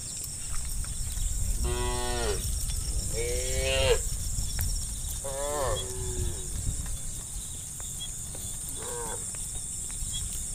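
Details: Tame cows by the dozen running joyfully down a valley hillside toward the pen in the afternoon; four short moos spaced a couple of seconds apart, the last quieter, over a heavy low rumble and steady high hiss.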